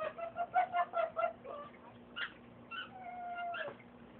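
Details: A pet fox gives a quick run of harmonic yips, then drawn-out whines, when excited.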